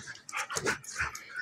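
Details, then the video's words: Two female dogs, a German Shepherd puppy almost a year old and a Golden Retriever mix, play fighting indoors; short yipping barks and growly bursts in quick succession. "German Shepherd puppy, and Golden retriever mix, play fight day, and night."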